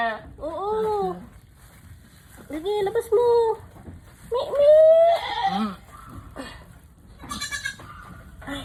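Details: Mother goat struggling through a difficult birth, giving loud, wavering bleats with arched pitch in three long cries, while people speak encouragingly close by.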